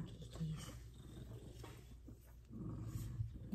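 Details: F2 Savannah cats, two of them being petted, purr in a steady, deep rumble while a person talks softly nearby.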